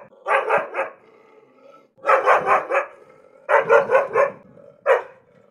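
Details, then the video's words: Angry dog barking in quick bursts of three to four sharp, harsh barks separated by short pauses, with a faint whine between bursts. "angry dog barking, tiếng chó sủa giận dữ"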